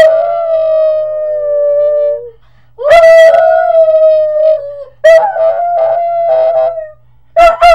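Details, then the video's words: Pet Puggle Marley in a sustained howling bout: a long, slowly falling wail, then a louder rising-then-level howl, then a wavering, pulsing note, and a final short burst, the calls nearly continuous with little pause. "Puggle Marley loves to howl"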